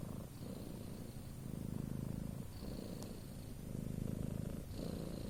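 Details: Sleeping house cat snoring: deep raspy purr-like rumble in repeated inhale and exhale waves about every two seconds, with a faint thin hiss accompanying some breaths.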